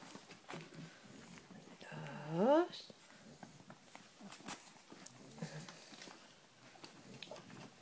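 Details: Cavalier King Charles Spaniel indoors, one rising whiny yelp sweeping upward around two and a half seconds, amid a woman's soft Spanish speech and small clicks and rustles.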